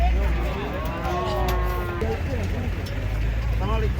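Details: Fierce giant cattle unloaded from a truck; a deep engine drone fills the low end while short lowing calls and murmuring people rise and fall above it.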